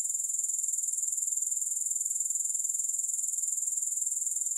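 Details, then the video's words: Grasshopper sound offered for sleep and focus, with no music: an unbroken, high-pitched buzzing trill with fast, even pulses, steady in loudness throughout. "Grass Hopper Sounds"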